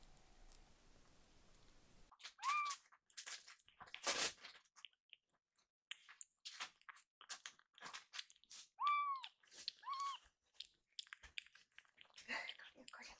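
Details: Rescued baby kitten whose meow sounds like 'iru' ('want'), loudly asking its caregiver for a second helping of food indoors; several short, arched, slightly falling meows among loud crunching and chewing noises.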